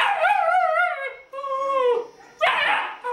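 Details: Young sable German Shepherd puppy howls in drawn-out, wavering whines, two long tones over about two seconds. A sharp, rough yelp breaks in near the end.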